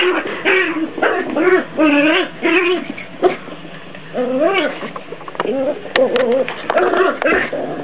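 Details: Jack Russell Terrier puppies, a pair, in a play fight: bursts of wavering, harmonic growling and grumbling, each about half a second, repeated with short gaps, with scuffling and clicks between.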